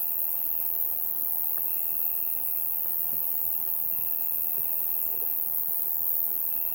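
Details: Summer night bugs calling together, a high even hiss with a buzzing trill repeating in long phrases and brief gaps, plus a few soft low ticks.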